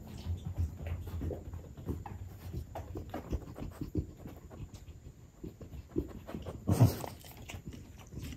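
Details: French bulldog eating baked sweet potato, rapid low panting and snuffling breaths with short chewing clicks, a louder burst of snorting near the end.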